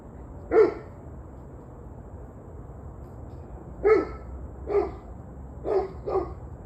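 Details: Dog barking, recorded 21 November 2023 in the evening: a single sharp bark, a pause of about three seconds, then four more barks spaced about a second apart, over steady low background hum.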